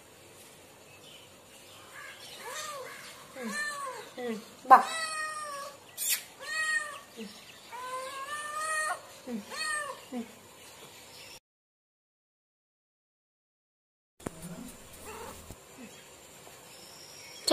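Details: Cats and a kitten calling indoors in a run of about a dozen quick, overlapping meows and short squeals over several seconds. A sudden silent gap follows, then faint room sounds with a brief low voice.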